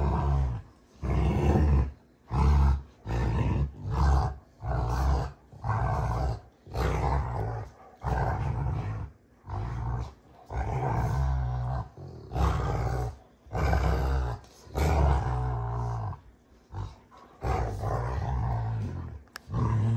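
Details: Play-fighting Rottweilers June and Kenai on a ranch trade a long series of deep, gravelly growl-roars, each burst about a second long, coming almost without pause throughout.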